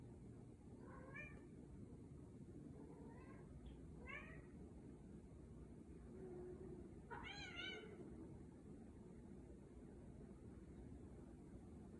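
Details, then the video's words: Scottish Fold cat from Virginia calling while mating: a series of four bending, harmonic meows, the last one louder and longer, over constant low rumbling noise. "How cats mate"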